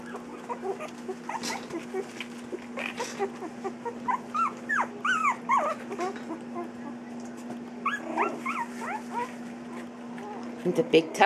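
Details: Three-week-old puppies playing together give many overlapping high whimpers, squeaks and short yelps in busy bursts, rising and falling in pitch, with scuffling clicks and a steady background hum.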